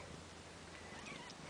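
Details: Bengal kittens just over two weeks old, babies of Ariel and Dream, indoors: faint, thin, high mewing that slides slightly, set against a steady low room hiss, with a soft voice nearby.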